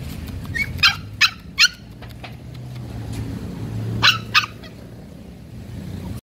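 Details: Pomeranian. Shrill, clipped yaps from a Pomeranian come in a quick burst of three, followed by a pause and another pair. A low rumble of traffic or an engine runs steadily underneath.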